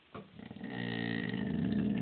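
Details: Angry pet dog Lilly grumbles and 'talks' after people walk past. A short rough burst comes first, then a rising, continuous low growling drone that swells toward the end.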